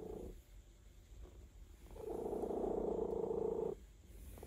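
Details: Relaxed cat purring during a massage: faint rustling at first, then a loud, even rumbling purr lasting nearly two seconds before it fades back to soft, quiet purring.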